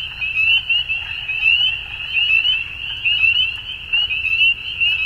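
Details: Evening frog chorus at dusk. Many high, rapid trills merge into one steady ringing band. The loudness rises and dips in irregular waves, about once a second, over a soft low background hum.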